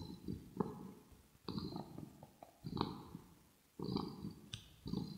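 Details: Kitten purring close up in a quiet indoor room, with some grooming and smacking: low rumbling pulses near one per second, broken by short pauses and a few brief higher clicks.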